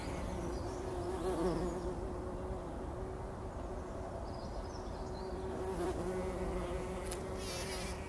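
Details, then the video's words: Bumblebees tumbling in poppy blossoms at dawn, taking a pollen bath, 2019; a low, even hum that wavers slightly throughout, with faint birdsong near the end. "Hummeln wälzen sich in der Mohnblüte – summend wird das Pollenbad angenommen"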